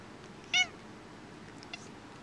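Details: House cat, displeased by sneezes, lets out a single brief, bright meow with clear ringing overtones, then quiet room tone.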